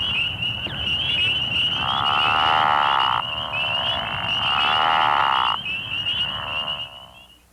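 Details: A Pickerel frog in Missouri, which breeds in March and April in woodland ponds, river sloughs and flooded ditches, gives low, snoring croaks lasting a second or two over a chorus of high, steady trilling.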